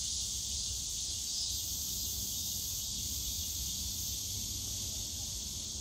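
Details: Many cicadas calling together in a bamboo grove, Yongsan Family Park, on a summer day; one continuous, bright, sizzling drone fills the air, with faint low-pitched park ambience beneath.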